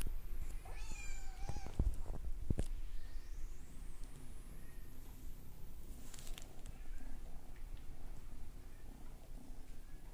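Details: Male Maine Coon kitten, brown classic tabby and white, born March 9 and filmed June 2, gives one drawn-out harmonic meow that rises then falls, followed by rustling, thumps and soft handling noise.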